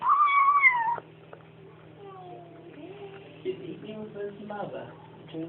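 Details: Bengal kitten making 'om nom nom' noises while eating: one loud, wavering, mew-like cry lasting about a second, then quieter soft murmuring sounds indoors.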